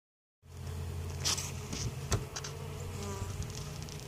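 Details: A steady, low buzzing hum of many western honey bees with a few sharp clicks or taps, from a weak hive at Mt. Perry, Ohio, that survived winter, has a queen and is treated for varroa mites.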